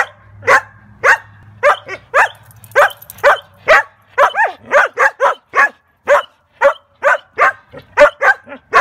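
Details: Joyful barking from collies, with a rapid, nearly continuous series of about seventeen bright, clipped barks, each roughly half a second apart, in a quiet background.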